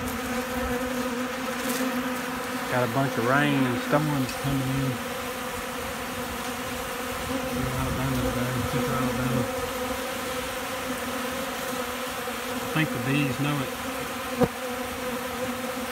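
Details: Honey bees feeding hard from a hand in Central Alabama, windy, with rain and storms coming: a constant buzzing drone throughout, with a man's voice speaking in short bursts and a few wind rumbles.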